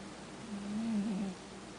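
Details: A sleeping male cat snoring: one soft, low, humming breath of under a second, slightly wavering in pitch, set against a quiet hissing room background.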